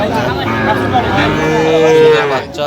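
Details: Sahiwal bull calves at a cattle market in Dhaka, Bangladesh, recorded 29 November 2025; a drawn-out lowing moo with a steady tonal band, over crowd chatter and bargaining voices.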